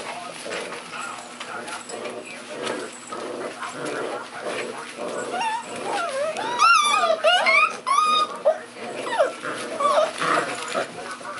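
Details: Puppies on day 35 at a hotel, described as wild; high, wavering whimpers and squeaky yelps come in overlapping bursts, louder and more frequent in the second half, over a steady background murmur.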